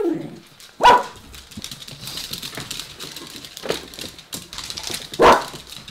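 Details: Diesel, a 5-6-year-old mini dachshund waiting with Coco for breakfast, barks demanding food: three sharp, loud single barks spaced a few seconds apart, with quieter household noise between.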